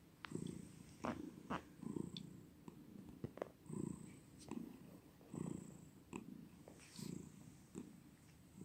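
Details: Close purring from a cat indoors: low throaty rumbles in uneven bursts under a scatter of small clicks and ticks, with a faint high background hiss.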